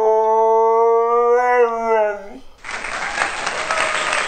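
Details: Mooner the husky vocalising in a drawn-out, wavering tonal howl that dips at the end, followed by a burst of applause.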